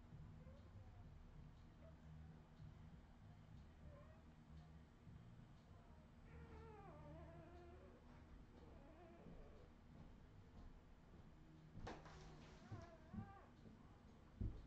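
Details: Redwing Australian Terrier puppies, 2018: a series of drawn-out, wavering whines that slide downward in pitch, several overlapping, followed by a sharp clatter and a few thumps near the end, over a constant low hum.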